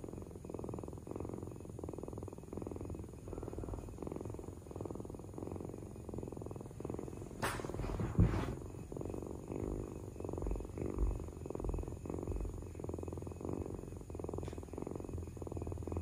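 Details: Domestic cat purring steadily, a low rumbling pulse repeating in even cycles of roughly one second throughout, with one brief sharp click partway through.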